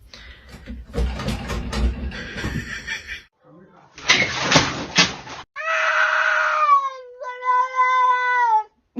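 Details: Domestic cat named Marshall, indoors and apparently wanting to go outside, gives a long drawn, falling harmonic meow, then a second, lower wavering one, after a stretch of human talk, rustling and a short harsh yowl.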